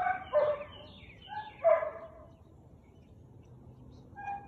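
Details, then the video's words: Siberian Husky barking on 13 March 2021 at 4:17 pm: a few harsh, harmonic barks in quick pairs near the start, a pause, then another bark at the end, over a quiet outdoor background. "Husky barking"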